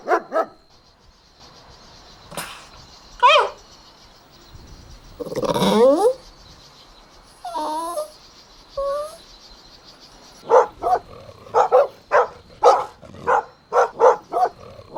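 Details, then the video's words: Golden Retriever puppies playing outdoors in a green meadow: scattered high yelps and drawn-out whines, then a quick run of short sharp barks and yips in the second half, with a faint steady high tone behind. "Adorable Golden Puppies Playing Outdoors | Relaxing Dog Sounds"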